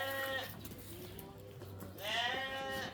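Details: Rams at a livestock market in Namangan, Uzbekistan, about two hundred for sale: two wavering, harmonic-rich bleats, one at the start and a louder one near two seconds, over a steady low hum and crowd murmur.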